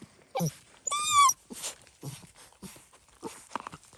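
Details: Fox red Labrador Retriever puppies, seven weeks old, out of doors for the first time; one drawn-out, slightly rising nasal whine stands out among soft scuffling, footstep-like thumps and a few fainter squeaks.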